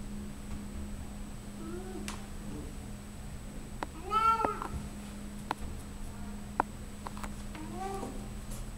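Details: Sienna, a loud 14-year-old female Siamese cat, gives several drawn-out, rising-and-falling meows over a steady low hum while showing off her belly.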